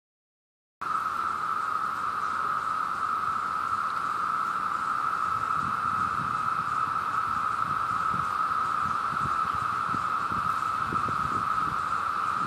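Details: Two cicadas, seen together, hold a continuous, even buzz on a single mid-range pitch, with no pauses or changes in loudness, over a faint low rumble of background noise.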